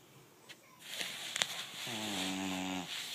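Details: Five-month-old American Bully puppy snoring while asleep: soft breathy rustles, then a drawn-out, low nasal rasp lasting about a second near the end, with slight room noise.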